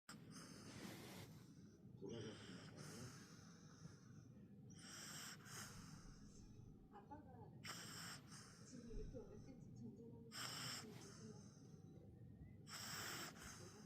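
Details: Sleeping mini pug snoring: breathy, hissing snorts come in a steady rhythm about every two and a half seconds, with a soft, low rumbling breath between them in a quiet room.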